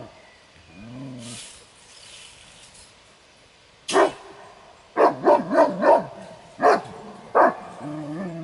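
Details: Kuvasz defending its ground at a guarding trial in a breed competition; a quiet stretch with faint low murmuring, then a sudden burst of about six sharp, loud barks in the last half.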